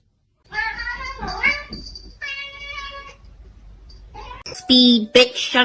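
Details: Domestic cat meowing indoors amid people's speech and laughter; several drawn-out harmonic meows, one rising then falling, followed by louder, sharper meows near the end.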